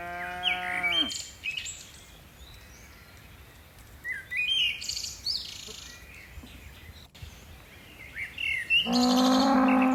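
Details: Tame cattle from a herd of dozens leaping down a mountain hillside slope. Two deep, harmonic moos, each about a second long, one at the start and one at the end, with bird chirps and twitters filling the quiet gap between.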